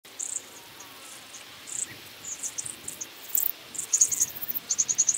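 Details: Long-horned club grasshopper, Myrmeleotettix antennatus, singing at Nesvady, Slovakia, on 23 July 2023: short, high, dry ticking pulses in small clusters, quickening and growing louder toward the end.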